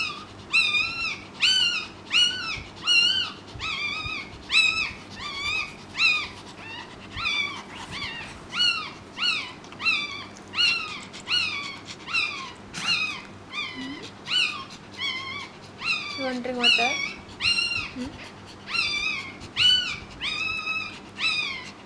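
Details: Long run of shrill, arched squeaks from a newborn Pekingese puppy during its mother's labour with a second pup, steady at more than one per second, briefly interrupted by a lower voiced sound midway, in a quiet room.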